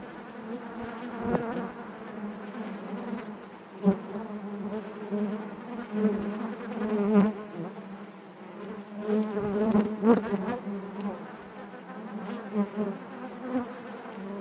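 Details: Continuous hive buzzing of honey bees, a rich low drone with stacked overtones that swells and fades in waves, punctuated by sharp ticks and bumps, loudest around the tenth second.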